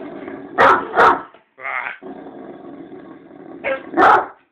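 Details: Sick Great Dane indoors giving short deep barks in pairs near the start and end, with a rough whining stretch between; a person talks to the dog and faint music plays.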